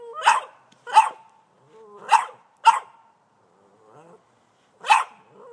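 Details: An 18-month-old Boston Terrier barks at a snow shovel he dislikes, giving sharp, high barks in a loose series, about one every second.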